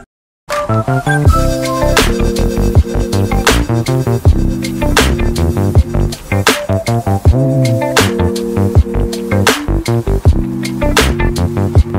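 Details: Electronic music with heavy bass and sharp percussive hits plays throughout, with no animal sounds.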